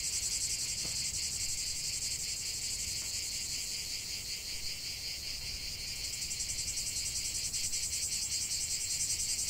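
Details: Cicadas singing in chorus as a relaxing nature soundscape: a dense, continuous high buzzing shimmer with fine rapid pulsing, steady throughout with slight swells in loudness.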